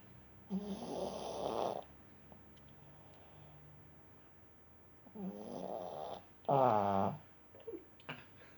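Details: Snoring from a dog: rhythmic rasping breaths, a long grating snore, quiet gap, then two more snores, the last louder and vibrating, ending in small snuffles indoors.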